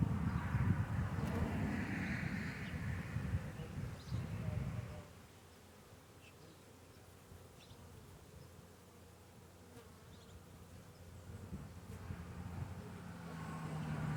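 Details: Honey bees living beneath a bee hive: loud, close buzzing for about five seconds, then a quieter low hum, with the buzz building again toward the end.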